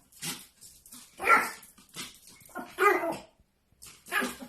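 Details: A Pomeranian barking on seeing its reflection indoors: rough, noisy barks and yips at irregular intervals in a small room.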